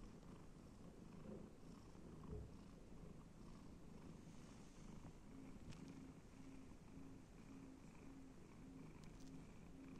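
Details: Pet domestic cat enjoying petting and scratching, purring in a continuous deep rumble with a faint, slightly higher pulsing tone layered over it and small rustles now and then.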